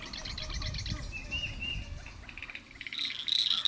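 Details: A cricket frog, seen calling at a private conservation sanctuary during bird nesting season, gives sharp, high clicking notes, about three a second, that quicken toward the end, over a low background rumble.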